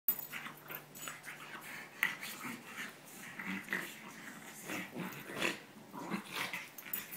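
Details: French Bulldog and English Bulldog wrestling indoors in a second-round play match, giving irregular rough snorts and growly grunts in broadband bursts about every second or two, with heavy breathing in between.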